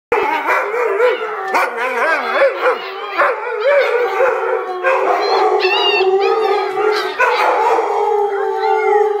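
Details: Puppies led by an adult dog in vocal practice, howling together: wavering, overlapping howls with rising and falling pitch, mixed with short yips and quivering cries, dense and loud throughout.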